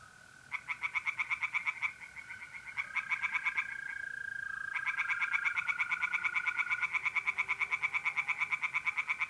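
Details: Tree frogs chorus by night in a north-east Italian pond in mid-April. Pulsed croaking runs in fast, overlapping series, with a steady high mole cricket trill underneath.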